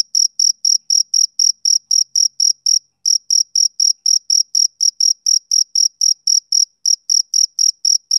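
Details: Male cricket chirping through a summer evening, quick high pulses in a steady rhythm interrupted by two short gaps, otherwise clean and uniform throughout.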